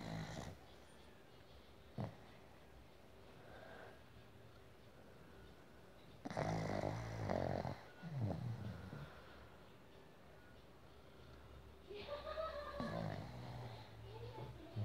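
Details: A pug snores in rough, rumbling bursts, each breath rattling and snorting through its short nose, as it falls asleep in its owner's hand.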